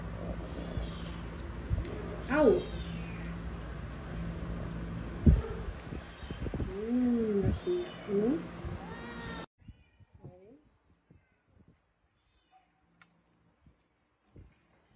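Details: Cats and kittens at feeding time: scattered meows, including a sharp high call and a pair of arching meows midway, followed by a much quieter stretch with faint clicks and feeding noises.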